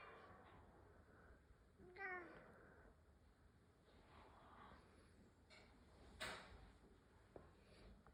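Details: Domestic rescue cat Koharu talking back to a cat voice it hears; one short descending meow with clear harmonics early on, a brief sharper cry later, otherwise a quiet indoor room.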